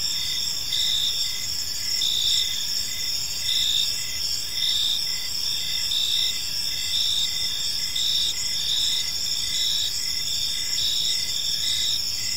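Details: Crickets chirping in a park in the evening, a steady high shimmering chorus with pulsed chirps repeating about every second over a continuous trill, faint low background rumble.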